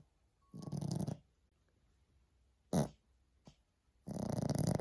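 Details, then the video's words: Sleeping Maltese dog snoring: a rough, buzzing half-second snore, a short sharp snort, a faint click, then another rattling snore, with silence between. "snoring dog"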